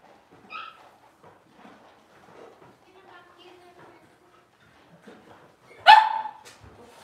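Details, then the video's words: Six-week-old Cavalier King Charles Spaniel puppies in their pen during deworming and toenail trimming; mostly quiet with faint murmurs, a short high squeak early on, then one sharp, loud yelp near the end. "6 Weeks Old: Puppies get dewormed and their toenails trimmed!"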